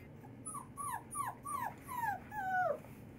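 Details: Wolves at Wolf Park in May 2010 produce a quick series of about seven high, downward-sliding whimpers and yips, each under half a second, growing longer and louder toward the end, over low background rumble.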